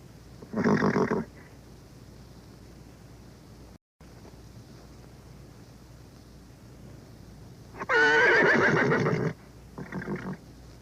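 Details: Vintage horse recording opening with a short rough snort, then after a pause a long, shrill, quavering whinny of over a second, ending in a brief, breathy burst, with hiss throughout.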